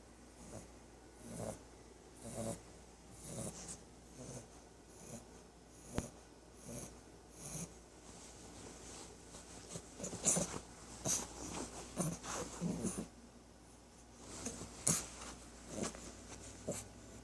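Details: A 3-month-old female English Bulldog puppy snores during a nap in soft, wheezy, snorting breaths, roughly one each second.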